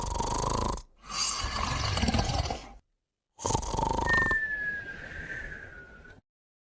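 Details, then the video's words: Sleeping puppy snoring alongside Moumou: rough, breathy snore bursts with a steady buzzing tone, broken by short silences, then a long thin whistle that drifts slightly downward for about two seconds before fading. "Moumou & Puppy Snoring & Whistling Together"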